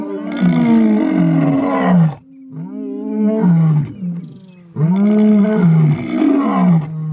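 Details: Deep overlapping roars from the big male Mpondo lions of South Africa, dense and rich in harmonics, in three loud bursts with brief dips between them.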